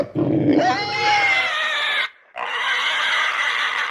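A pig gives loud, harsh squeals, the first rising from a grunt into a shrill scream.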